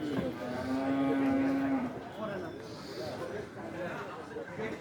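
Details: A big four-toothed cow lets out a single steady, level moo lasting about a second while people chatter in the background.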